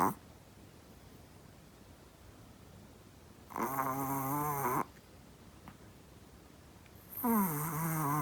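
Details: Chihuahua fast asleep, snoring at human-like volume in a small room; two long raspy snores with a wavering pitch, spaced about three seconds apart, quiet breathing between.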